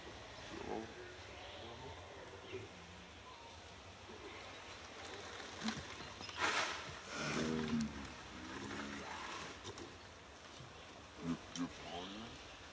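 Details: Wild monkeys around Angkor Wat in their natural habitat, mother Brianna nursing baby Briar during a long feed; short tonal, wavering calls come in bursts near the start, middle and end over steady outdoor background noise.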